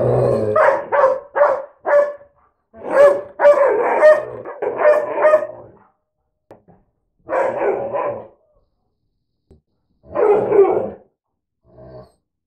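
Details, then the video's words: Mutt dogs, a retriever/Lab mix against a husky/Lab mix, trading vocal 'talk': quick run of short barks and yips, then longer grumbling bark bursts and scattered single yaps with quiet gaps between. "DOG TALK & CALL OF THE WILD"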